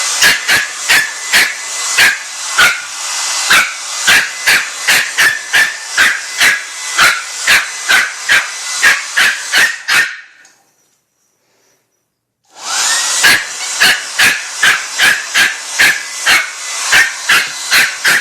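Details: A puppy attacking a blow dryer barks rapidly and steadily, with sharp short barks over the constant roar of the dryer. Everything cuts to silence for about two seconds midway, then the barking and dryer noise resume.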